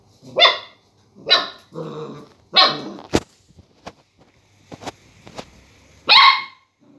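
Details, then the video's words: Young Border collie reacting to a lemon, letting out loud, bright yips in quick bursts, then a pause filled with soft clicks and shuffling before one more sharp, ringing bark. "Border collie puppy barks at the lemon"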